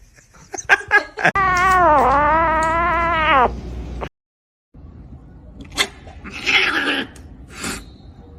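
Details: Domestic cat from a compilation of funny cats fighting. It gives one long, drawn-out yowl of about two seconds that wavers up and down in pitch. Short scuffling noises come before it, and a sudden cut leads to brief rustling afterward.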